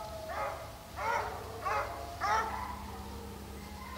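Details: Hound chasing deer during a hunt in St Helena, South Carolina: four ringing, slightly rising bays about every 0.6 seconds, then a pause. A low hum continues underneath.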